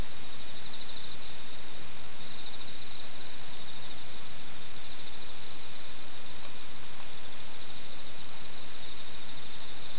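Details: Countryside insects calling at night near Okayama, Japan, in 2005. A steady wall of thin, high trilling sustains for the whole stretch, pulsing slightly, against a quiet background with no other voices.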